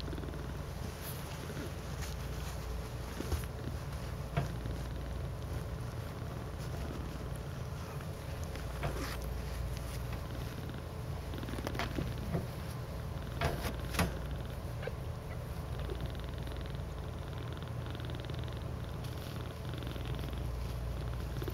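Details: Several pet cats snuggled together in a cuddle puddle, purring in a steady deep rumble throughout, with faint scattered clicks and rustling.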